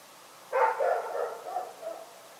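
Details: Dog barking at night: a single harsh bark bursting in at half a second, then trailing into a wavering, whine-like tail of lower yips that fades over about a second and a half, with a quiet background.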